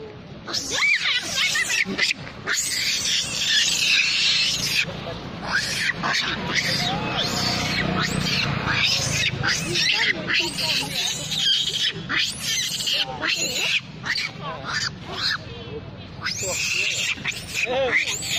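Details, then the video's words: A monkey mother with babies cries loudly while a big monkey attacks her: harsh, high, arching screams come in dense overlapping bursts almost without pause, with shrill rising and falling shrieks throughout. "Big Monkey Fighting Mom With Babies Very Crying Loud"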